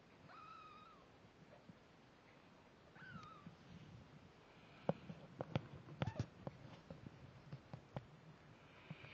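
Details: Layla the snowshoe Siamese and her one-week-old kittens: two high, wavering mews early on, then a run of quick taps, bumps and rustles as the litter squirms and climbs.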